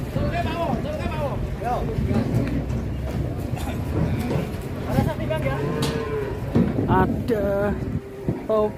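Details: Cattle mooing at a farm pen, with repeated drawn-out low lowing calls rising and falling over constant background noise, music and people talking nearby.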